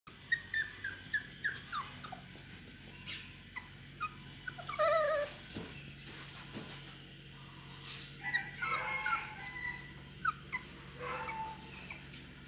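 Beagles giving quick, high-pitched yapping barks in bursts, with a drawn-out whine in between.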